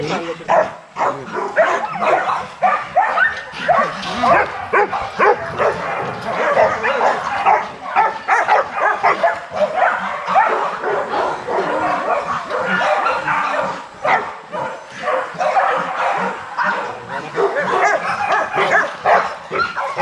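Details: Young Rottweilers in a kennel exercise yard, several dogs barking continuously in a dense overlapping chorus, rapid irregular barks about two per second, with mid-pitched yips mixed in.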